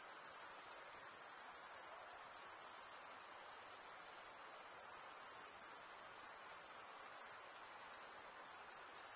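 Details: Shrill, even ringing of many crickets stridulating together, a constant high-pitched trill with faint rapid pulsing and no distinct separate chirps, over soft low hiss.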